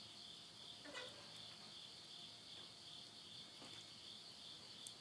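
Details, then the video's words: Insects singing at midnight in the Tottori countryside, Japan, late summer 2020: an even, high ringing trill runs throughout, while a stove's burning wood gives a few soft pops and one sharp crack near the end. "the voice of insects"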